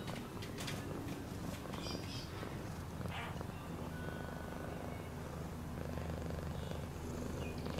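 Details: Steady low, buzzing rumble of a purring cat, holding evenly throughout, with light scattered ticks and rustles in the background.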